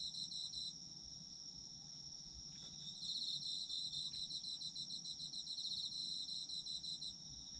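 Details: Autumn insects chorusing, recorded as sleep ASMR: a steady shrill high whine runs throughout, joined by a rapid pulsed trill for the first second and again from about three to seven seconds.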